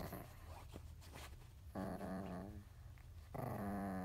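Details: Chihuahua indoors in a bedroom, wanting to get up onto the bed; low rumbling at first, then two drawn-out nasal whines, each about a second long, very quiet overall.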